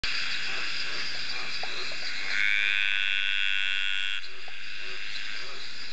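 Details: Dainty green treefrog (Litoria gracilenta) males give courtship calls on a rainy summer night at Ocean Shores near Byron Bay, Australia, one giving a long, drawn-out buzzing trill over a dense chorus.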